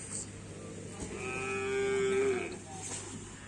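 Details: During karapan sapi bull racing training in Indonesia, a cow gives a single long, steady, fairly low moo of about a second and a half over a noisy background of people and hum.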